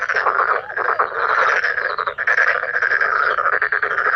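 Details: Male black-spotted pond frogs in a loud, dense chorus, continuous overlapping rattling croaks with no pauses.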